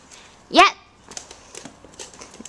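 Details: Tiny AKC micro teacup poodles of a Hong Kong family, bred from Alabama bloodlines, getting wild: one loud, high, clipped yip, followed by small clicks and rustling indoors.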